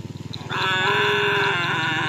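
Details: Cattle at bull race training for karapan sapi in Pamekasan, with champion bulls from Sapudi Island; a loud, sustained harmonic moo after a short pulsing start, over a low steady hum.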